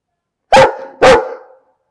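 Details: A barking dog gives two loud, harsh barks about half a second apart, each trailing off quickly, with silence before and after.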